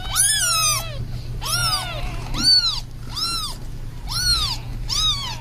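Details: Domestic cat, a mother feeding her little kittens, gives six clear meows, each rising then falling, about one per second, over a steady low hum.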